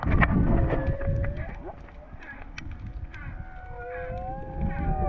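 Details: Whale calls heard underwater while freediving off Hawaii: long, wavering tonal moans that slide up and down over a rumbling background.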